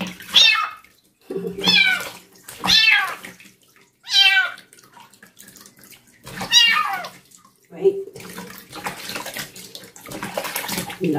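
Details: Distressed meowing from a young female stray kitten during her first bath at night: six strong, wavering, high-pitched cries roughly every one and a half to two seconds, with splashing water and a woman talking softly toward the end.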